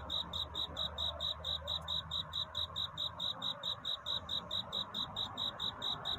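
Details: Singing cricket at night, searching for a mate, gives ringing high chirps at a steady pace of just over two per second over a low background hum.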